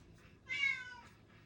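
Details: A cat crying during a study session, keeping things from being quiet: one drawn-out meow of about half a second with a clear stack of harmonics, over a faint low background hum.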